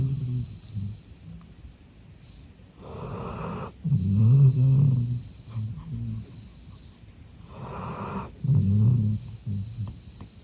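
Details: Male golden retriever Eve sleeping deeply and relaxed, snoring: two loud, low rumbling snores near 4 and 8.5 seconds, each lasting about a second, with quiet breathing and a soft, faint hiss in between.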